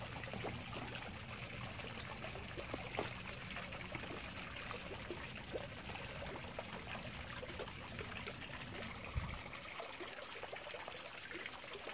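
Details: Steady trickling and dribbling water fills the recording, with no animal calls heard.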